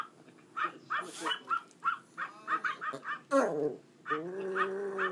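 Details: A male pet Pomeranian, encouraged by his owner, gives quick high yips, then breaks into a sustained, wavering howl.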